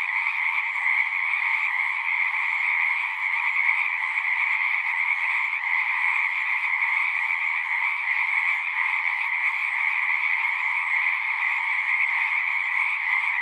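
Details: Many frogs singing together in a dense, unbroken chorus: a steady, shimmering trill with a lower and a higher layer of pitch. The pulsing stays even throughout, with no other clear sounds.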